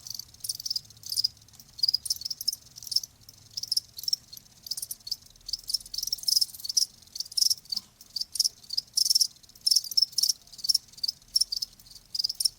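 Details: Crickets chirping as a nature sound for easing tinnitus; sharp high-pitched chirps repeat steadily several times a second in dense bursts, with a faint low hum in the background.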